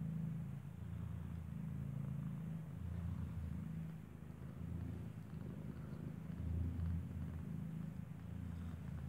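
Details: Domestic cat Kartopu, who gave birth inside a building, lies with her nursing kitten whose eyes are not yet open; a low, steady rumbling purr continues with soft pulsing swells throughout.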